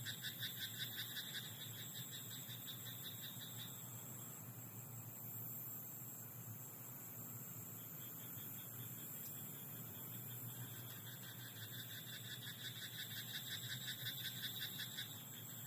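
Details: Rice-paddy frog at night repeating several bouts of rapid, rattling croaks, each a few seconds long with pauses between. A steady high-pitched insect drone and a faint low hum fill the background.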